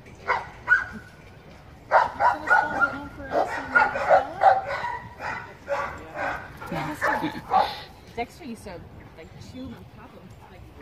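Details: Greyhound/Husky mix dog barking and yipping in a quick irregular series of short, mid-pitched calls over several seconds, with people speaking in the background.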